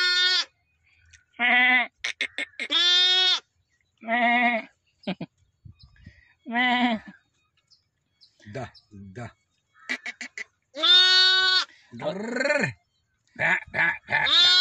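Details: Newborn lambs, one day old, in a village calling in a run of repeated bleats, some drawn out and wavering, some short, separated by brief silent gaps, with a few clipped higher calls between them.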